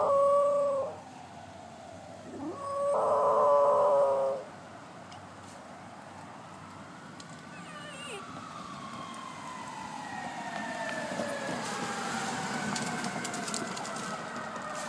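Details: A female Pembroke Welsh Corgi puppy, hearing a passing fire truck, gives two short, wavering howls, followed by the long rising and falling wail of the siren.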